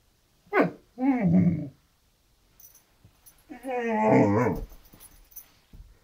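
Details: Janet, a Great Dane, vocalizes indoors because she wants to play: two low, throaty, harmonic grumbles, one short and one longer and rising-falling, separated by a quiet pause, with brief human speech nearby.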